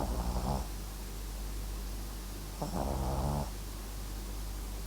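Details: Snores of a sleeping Papillon x Japanese Chin mix, with one brief rattling snore at the start and a longer, buzzing snore a couple of seconds later, over steady low hum.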